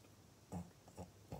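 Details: Maria, a pet pug in Japan, recorded on 24 November 2020, gives three short, low, piglike grunting snorts about half a second apart, the first the strongest, against a quiet background.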